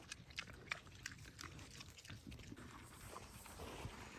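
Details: Two domestic piglets eating treats on a homestead farm: rapid wet chewing and crunching clicks, scattered sharp smacks, and a few soft low grunts beneath.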